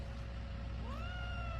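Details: Kitten making loud noises as it is wiped clean, giving a single meow that sweeps upward and then holds a steady, slightly falling tone for over half a second, with a constant low hum underneath.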